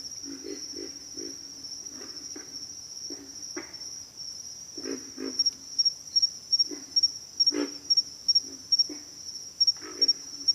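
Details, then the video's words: Pig frogs calling at night: low, rough grunts in quick bursts of two to four, spaced irregularly across the chorus, over a steady high shrill of insects. "pig frogs - sound effect"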